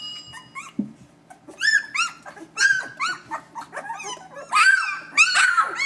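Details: Vizsla puppies a few days old, eyes not yet open, squealing in short arched yelps that grow louder and more crowded toward the end, over a low steady hum.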